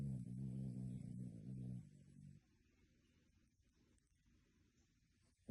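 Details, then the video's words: Snoring dog, fast asleep, with a humanlike snore: a steady, deep, buzzing drone for about two seconds that fades out, followed by near silence and a faint click at the end. "Dog snoring like human!"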